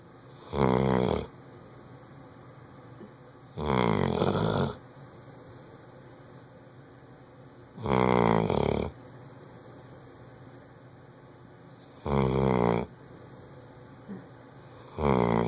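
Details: A Bloodhound snores loudly, each rasping breath about four seconds apart.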